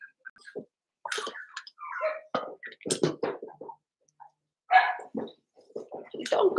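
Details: Seven-week-old Cavalier King Charles Spaniel puppies from one litter in an indoor home pen: scattered short whines and squeaky whimpers, some rising tonal cries, with soft scuffling and household noise between them.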